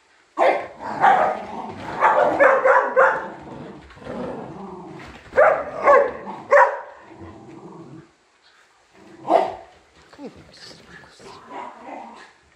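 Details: Shiba Inu named Ten-chan, a pet dog, barking in clustered bursts of sharp yaps, a busy run early on, a quiet stretch, then a few scattered yips and softer whines near the end.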